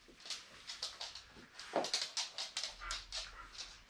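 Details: Welsh Terrier during a training session, giving a quick run of short, sharp high yips about four per second for nearly four seconds, indoors, with a person giving commands nearby.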